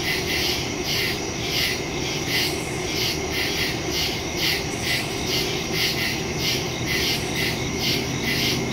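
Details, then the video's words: Nighttime crickets in a wood, recorded September 2, 2023, on a phone fitted with a stereo microphone: continuous high insect chorus beating about two pulses a second, dense and layered, with a soft low drone behind. "Crickets in the woods at night"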